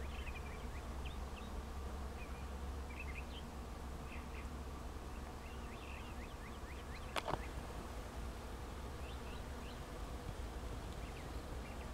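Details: Thousands of bees buzzing in flowering trees at Sand Hills State Park, Reno County, Kansas, on May 2, 2004: a steady, dense low hum throughout, with short bird chirps scattered above and one sharp click midway.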